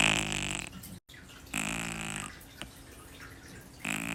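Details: Shi-chan, a deeply sleeping kitten, gives raspy, whistling snores lasting under a second, one after another roughly every one and a half to two seconds, with a quieter breath between them.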